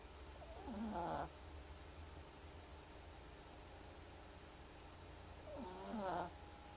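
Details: Pet cat snoring in its sleep: two raspy, rattling breaths about five seconds apart, with a quiet steady hum between them.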